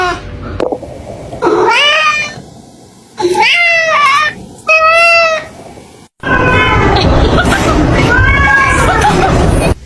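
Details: Cat meowing: three short separate meows that rise and then fall, each about a second long, followed by a longer drawn-out meow over steady background noise.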